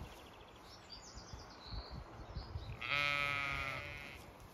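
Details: Zwartbles sheep on a regenerative farm in County Kilkenny, Ireland, ewes and fast-growing lambs on a hot May day; one loud, steady harmonic bleat held about a second and a half after faint distant bleating and rustling.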